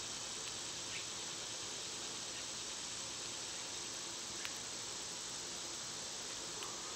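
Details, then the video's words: Softer summer cicada chorus, a constant high buzzing hiss holding steady, with a few brief sharp clicks scattered through it. "Cicada sounds"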